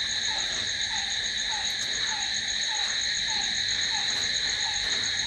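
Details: Night-time cricket chorus, a dense continuous shrill buzz stacked in high bands, accompanied by a short lower chirp recurring about every quarter to half second throughout.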